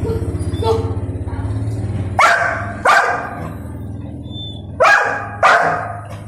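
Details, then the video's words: Young male Golden Retriever throwing a tantrum, barking in protest at not being allowed to eat; four sharp loud barks in two pairs, near 2.2 and 2.9 seconds then 4.8 and 5.4 seconds, over a steady low engine-like hum "Angry Golden Retriever Throws Tantrum for Not Being Allowed to Eat"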